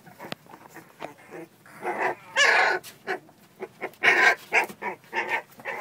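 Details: Playing American Bully puppies produce rough growling bursts and yelping barks, several loud harsh outbursts crowding together over a few seconds, with scuffling noises between them.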